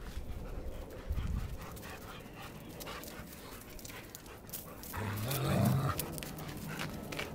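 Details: One of two German Shepherds playing fetch, panting softly. Steady, breathy rasps fill a quiet, noisy background with handling rustles and a brief louder swell near the end.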